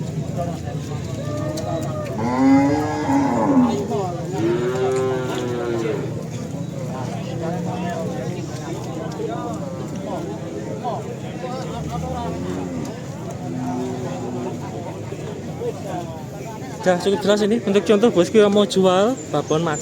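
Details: Simmental cattle, described as original Australian stock, at the Kerek cattle market in Tuban, East Java. A low, drawn-out moo swells and fades near the start, then shorter lowing follows amid steady crowd chatter and market bustle, with a louder burst of noise at the end.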